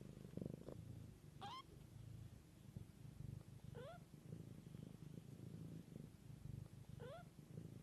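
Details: Mother cat caring for her kittens, raised in nature: a steady low rumbling purr pulses throughout, while three short rising kitten mews, thin and upward-sweeping, break in at about one, four and seven seconds.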